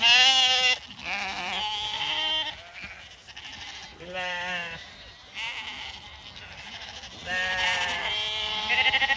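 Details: Several ewes bleat while being fed on a regenerative farm in County Kilkenny, Ireland. Loud, quavering bleats overlap, with bursts recurring every two to three seconds and fainter calls between them.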